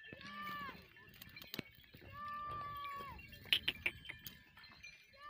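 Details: Goats bleat in drawn-out, wavering cries, with metallic clinks in between.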